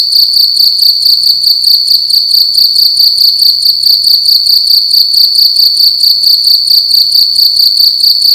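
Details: Shrill, loud cricket song in a room during the night, a constant high ringing tone chopped into regular quick chirps, near two per second, continuing steadily without pause.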